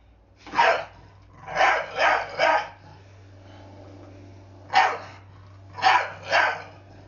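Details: A blue Staffordshire Bull Terrier, scared of a broom, tells it off with sharp, harsh barks in short bursts.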